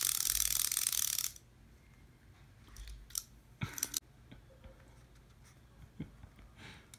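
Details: A burst of hiss, then quiet room tone broken by clicks, taps and mechanical rattles, with no bark or other animal call.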